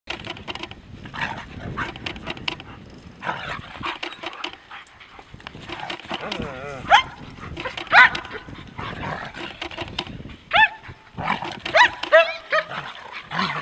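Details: Two German Shepherds, Lyon and Nellie, from Seelenvoll German Shepherds of New England, Maine, playing together: rough growls and short yelping barks in bursts, with scuffling and some human voices.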